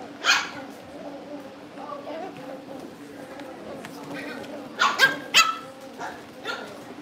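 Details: Indoors at a breeder's home, Cavalier King Charles Spaniel puppies being readied for family pick-up yip and bark: one bright bark at the start, then a quick run of three yelps, with a constant background hum and soft talking.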